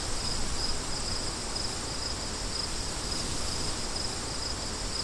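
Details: Steady cricket chirps, thin high pulses spaced roughly every half second, over a softer background of gusting wind.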